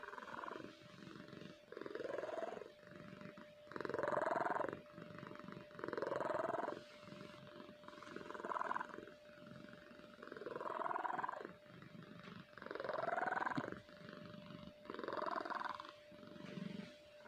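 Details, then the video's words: Kahfi the cat snoring at length while deeply asleep: a long series of regular, buzzy snoring breaths, each lasting about a second and returning every two to two and a half seconds, over a steady hum. "Snoring cat"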